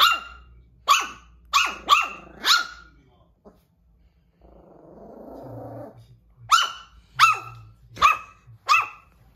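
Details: Silver toy poodle, scared of a lion doll set down on the floor, hiding under the sofa indoors; sharp high barks in two bursts of about five, a quiet rustle between them.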